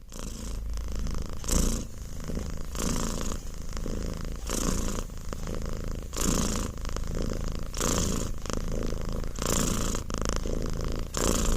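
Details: Domestic cat purring steadily, a low continuous rumble with rhythmic pulses as it breathes in and out, roughly every second and a half, with brief rustling noises mixed in.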